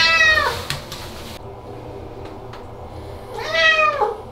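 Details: Ragdoll cat Aman, screaming because it hates baths while still cooperating, gives two loud harmonic wails, one at the start falling away and another around three and a half seconds, separated by quieter room noise.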